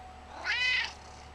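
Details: Single bright meow from Gizmo, a chunky male house cat around 11 years old who was unusually talkative that day. The call is short and harmonic, swelling and then fading, over a quiet background with a low steady hum.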